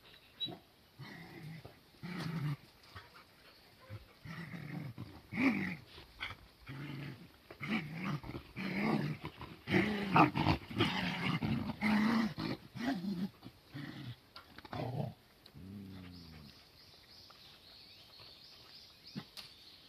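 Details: Cardigan Welsh Corgi puppies crowding a garden lawn on 23 May 2020. Busy, overlapping growls and gruff little barks run almost continuously, then fade into a few soft whining grumbles at the end.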